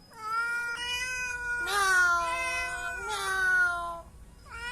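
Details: Domestic cat at home around spilled milk, meowing in long, drawn-out, harmonic-rich calls: three extended meows, each slowly falling in pitch, the middle two loudest, then a short start of another at the end.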